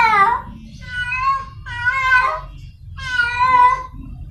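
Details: Cat in heat seeking a mate, heard as long, wavering meows in four bursts, harmonic and slightly undulating, over a steady low rumble of background noise.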